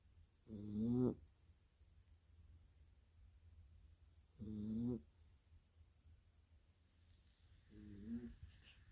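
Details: Jack Russell Terrier pup asleep indoors on a snowy Christmas evening in 2021 while hummingbirds visit a feeder. It gives soft, low, rasping snores, three breaths about four seconds apart, the last one fainter, in an otherwise quiet room.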